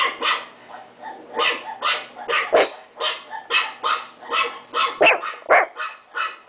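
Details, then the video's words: A pet chihuahua yaps steadily, short sharp barks coming roughly every half second, some clipped and some slightly drawn out, over a low constant hum. "My chihuahua Timo bark"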